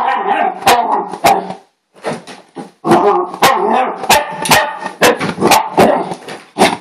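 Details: Pet dog in a hyper, excitable moment, barking loudly in rough bursts of sharp, harsh barks, a brief lull near two seconds, then rapid barking again, with clicking and handling knocks throughout.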